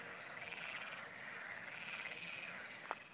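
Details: Frogs in a continuing chorus on the Camino Francés between Burgos and León in May 2011: a dense, even wash of overlapping trilled croaks, with a single sharp click near the end.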